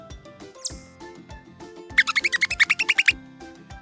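A chipmunk gives a quick run of sharp, high chirps over gentle background music.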